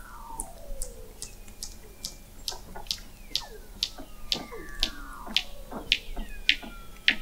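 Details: Under Antarctic sea ice in McMurdo Sound, recorded November 2017 from an observatory 21 m below the ice, Weddell seals give rapid repeated high chirping pulses, about two per second, over long falling glides and descending whistles.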